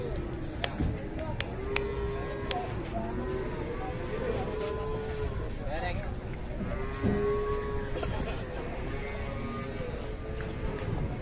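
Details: Raging cow handled by three cattle handlers, giving drawn-out lowing moos around four and seven seconds, heard over steady background music and crowd noise.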